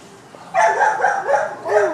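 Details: Female Siberian Husky mix, two years old, white and brown, held in a kennel at Orange County Animal Care Center with a bite wound; gives a loud wavering whine-howl in several rising and falling pulses.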